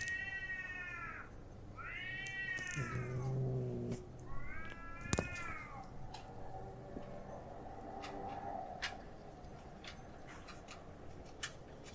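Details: Outdoor fight between stray cats beside a home: three long, arching, wavering yowls in quick succession over the first five seconds, then fainter murmuring cries and scattered knocks fading into a low background rumble.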